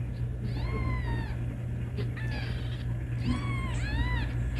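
A kitten gives high, thin meows, each rising then falling, to call its mother.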